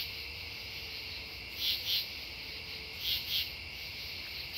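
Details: True katydids calling at Devonwood Conservation Area on September 10, 2015: paired raspy pulses, two quick rasps repeated about every one and a half seconds, over a steady high insect chorus hiss.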